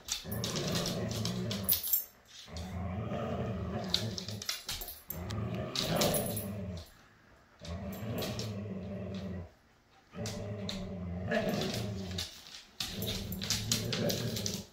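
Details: Jude, a Siberian Husky available for adoption from Pet Harbor Rescue, indoors with his foster siblings: low, rumbling growl-like vocalizations in bouts of about two seconds, separated by short pauses, with sharp clicks and rustling between them.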